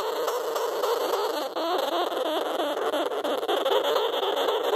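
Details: Two sugar gliders, Kino and Yuki, just brought home, crabbing inside their pouch while gently petted from outside, scared and unsure; a continuous raspy, grinding buzz with rapid pulsing texture, steady and unbroken for about five seconds indoors.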